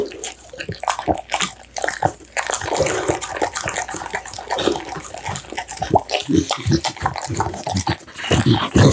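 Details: American Bully eating a meal of steamed pumpkin, minced duck meat, tofu and dried mixed vegetables, recorded up close: dense wet chewing, smacking and lapping clicks, coming in uneven bursts that grow louder and heavier toward the end.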